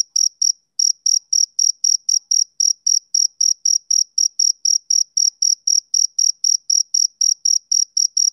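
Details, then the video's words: Male cricket chirping, a sound tied to summer evenings: clean, high-pitched chirps with a faint higher overtone, repeated about three times a second in a steady pulse after a brief pause near the start. No other sounds. "Cricket Chirping Sound Effect"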